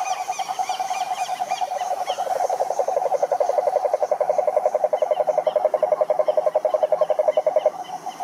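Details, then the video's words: Cururu toads of the Atlantic forest in Brazil, Rhinella marina, sing from a lake: a strong, regular low pulsed trill swells in the middle and runs for several seconds before stopping, with scattered higher chirps above. "CANTORIA DE SAPOS CURURU"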